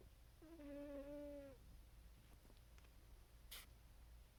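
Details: Dreaming house cat asleep and snoring, letting out one drawn-out, even, nasal mew of about a second, followed by quiet low room hum and a single sharp click near the end.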